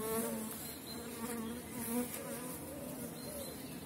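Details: Honey bees at an apiary in April, small-cell 4.9 colonies in strong condition while dandelion blooms and supers are added; a dense, steady buzzing hum of many bees with shifting overtones, some bees passing close.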